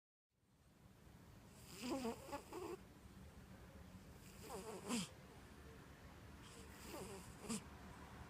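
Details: Orange domestic cat asleep on a comfy couch, snoring softly: three breathy, rasping snores arrive roughly every two and a half seconds, each a short broadband rush, over a quiet low room hum.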